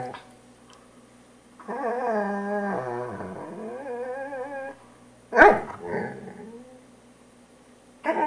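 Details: A poodle being groomed gives a long, wavering, tonal growl lasting about three seconds. It breaks off, then comes a sharp snapping yelp-bark and a short grumble, with another outburst starting right at the end.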